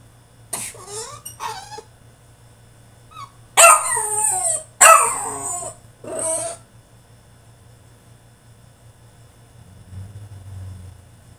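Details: French Bulldog having a tantrum in his cage: a few short yelping whines, then three loud hoarse barking wails in quick succession, followed by quiet with a low hum.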